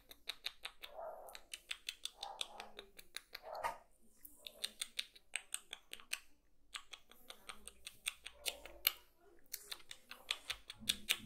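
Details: Kitten eating, close-up crunching and chewing: rapid sharp crackly clicks in irregular bursts, with brief soft muffled mouth sounds between and short quiet pauses.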